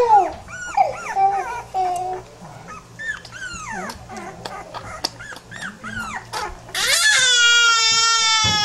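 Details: Several pit bull puppies indoors make rapid high whining and yelping cries, squeaky rising-and-falling calls tumbling over one another, then one long loud sustained high squeal near the end.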